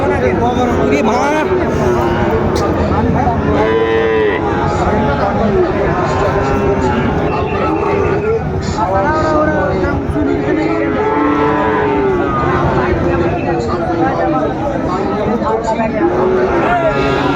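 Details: At Raniganj cattle market in Bogura, Bangladesh, on Thursday 13 March 2025, where Sahiwal bull calves are sold, many cattle give overlapping low, drawn-out moos again and again through steady crowd noise and voices.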